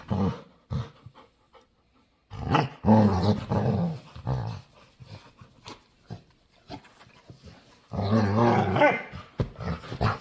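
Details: A dog begging to play, making weird noises: grumbly moaning whines that rise and fall, then a quieter stretch of snuffles and panting, before another wavering, talkative groan.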